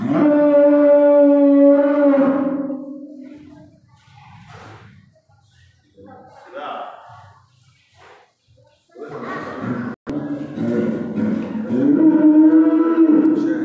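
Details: The day before Eid al-Adha, a calf cries with a long, level, nasal bawl. A few quiet seconds with faint murmurs follow, then a second bawl that wavers and rises.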